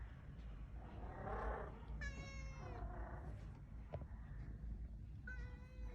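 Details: New kitten outside in the cold, wanting to come into a room but afraid of the resident cat, gives two drawn-out, harmonic meows a few seconds apart, the first falling, the second steady; a person talks quietly between them.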